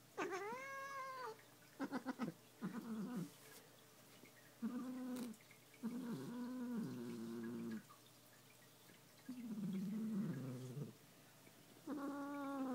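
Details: Annoyed at being brushed, Muffin the cat lets out a series of drawn-out, wavering growls and low moans, some broken into short bursts, others sliding downward, separated by brief quiet gaps.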